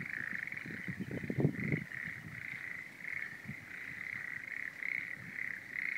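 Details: Frogs calling faintly from a rice paddy at Uranohama, Oshima, Kesennuma, Japan, an area devastated by the Great East Japan Earthquake, with rubble and sludge still left in the field; a steady pulsing chorus with irregular low rumbling bursts beneath.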